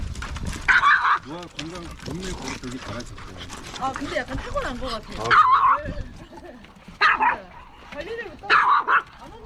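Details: Kkomi, a three-year-old female mini Maltese, at Yangju Gamaksan dog campsite in front of a large dog, gives short, sharp barks in four bursts spread over about nine seconds, with people talking throughout between them.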